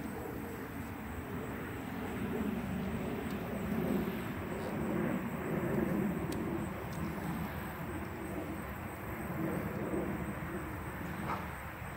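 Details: A low, swelling rumble of passing vehicles or a train fills the outdoor recording, with faint scattered clicks.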